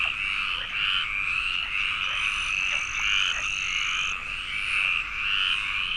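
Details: Pond frog chorus in Aquitaine's Landes forest, site of the protected Iberian tree frog: a wall of harsh, pulsing croaks from numerous callers, steady in loudness, with a high pure whine lasting about two seconds.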